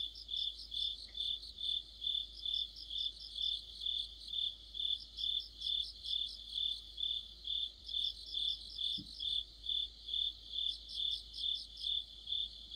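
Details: Deepening autumn sound of crickets and fellow insects: a continuous train of regular shrill chirps near two per second, with recurring bursts of fast, higher ticking notes from a second caller.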